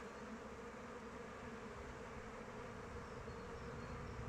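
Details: Around a hive in open weather, kept honey bees produce a thick, constant buzzing drone, heavier in the low range, with steady texture and no pauses.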